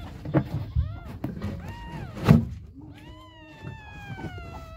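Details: Baby kittens calling hungrily for their mother cat, giving several meows amid bumps and rustles; the final cry is long and drawn out, sliding slowly downward for nearly two seconds.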